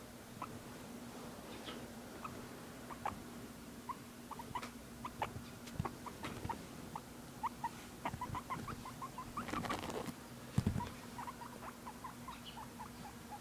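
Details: Pet guinea pig Harley making curious noises: a long run of short, rising chirpy squeaks, many in quick succession, mixed with soft rustling and tapping sounds indoors over a steady low hum.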